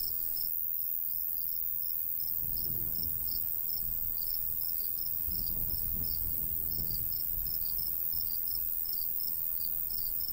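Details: Crickets in a golden wheat field in the summer countryside, chirping in quick, evenly spaced high pulses about three per second, over a steady high hiss and low gusts of light breeze swelling midway.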